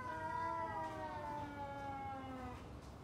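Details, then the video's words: Two domestic cats exchanging long drawn-out yowls before a fight; one steady, slowly falling moan lasting about two and a half seconds, rich in overtones, fading at the end over quiet background hiss. "Kucing Ngobrol Sebelum Tarung | Cat Fight | Suara Kucing"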